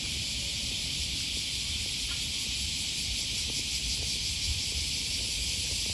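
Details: Osaka cicadas by the Okawa River, August 2020 morning: a dense, unvarying high whine holds steady, with low traffic hum and footfalls beneath.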